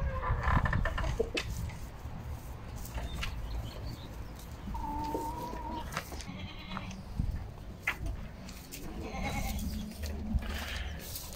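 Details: Goats on a home farm where a first-time mother has just given birth to a male kid; scattered bleats and short cries over steady low rumble, with clatter and a brief steady tone midway.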